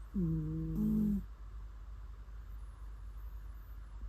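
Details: A single low, buzzy snore from a sleeping cat, about a second long with a slight rise partway through, followed by quiet room hum.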